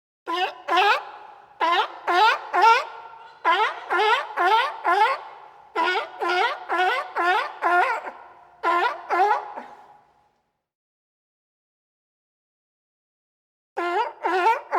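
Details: Long series of sea lion roars: brassy, harmonic honks repeated about twice a second in uneven groups for ten seconds, then silence before a final burst of barks.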